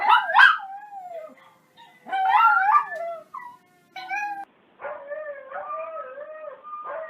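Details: Dog yips, whines and short wavering howls come in uneven bursts separated by silent gaps. The pitch swoops up and down, and a second, lower howling voice runs faintly underneath.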